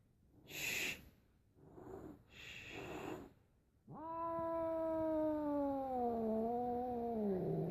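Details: Zoe, a pet cat upset by another animal, Piper, indoors: after two breathy hisses comes a long, drawn-out moaning yowl with stacked tones, sagging slightly in pitch and wavering over four seconds; a person softly hushes and calls her name.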